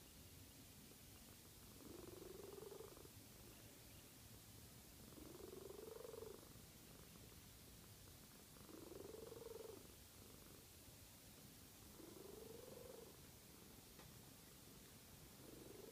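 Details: A sleeping cat snoring in a slow, steady rhythm: four buzzy, slightly rising inhalations about every three and a half seconds, separated by quiet pauses, with constant low hiss behind.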